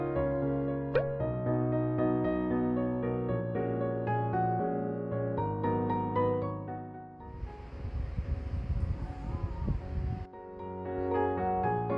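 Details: Gentle piano music plays throughout, briefly giving way to a few seconds of broadband rustling noise before the melody returns.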